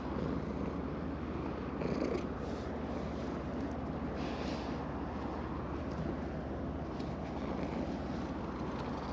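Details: Orange tabby cat on an evening breakwater purrs contentedly under petting, GoPro Hero10 recording; a constant grainy rumble with slight swells around two seconds in and little else audible.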